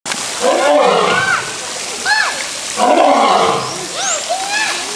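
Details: Skinny old lion roaring: two long hoarse bursts about two seconds apart, each with bending, rising-and-falling tones, plus a few short sliding notes between them.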